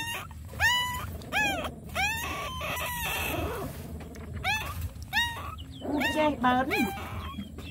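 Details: Small hungry puppies at their nursing mother dog give clustered shrill whimpers, arched squeals that rise and drop quickly, coming in bursts with short gaps, over a steady low rumbling background.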